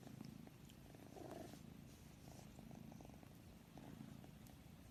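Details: Quiet, low purring from a pet cat. Deep vibrating rumble pulses in regular cycles, with a brief slight swell after one second and light background noise.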